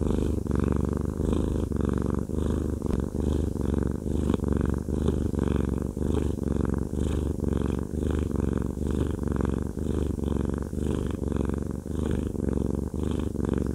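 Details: Haku the cuddly fluffy cat purring during a massage; a close, loud, rumbling purr that rises and falls roughly once a second with each breath, steady and unbroken.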